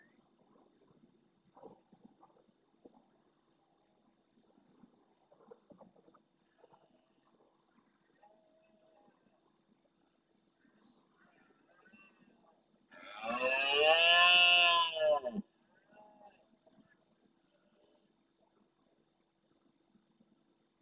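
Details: Night-time rutting red deer stag bellowing near the SEO/BirdLife camera in Doñana's marsh, Almonte, Spain, in answer to other males: a single deep, strained roar of about two seconds amid long stretches of rhythmic cricket song.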